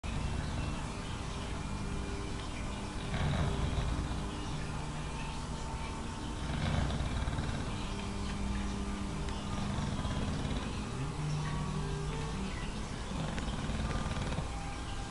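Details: Watson, a dog asleep in his favourite spot, snoring moderately, a third as loud as in deep sleep; low rumbling breaths swell roughly every three and a half seconds over a steady low hum.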